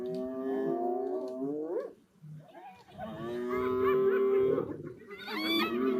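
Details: On safari on 30 January 2026, spotted hyenas take over the remains of a kill from a lioness, giving drawn-out, rising, overlapping moans with a brief lull and a wavering upswept call near the end.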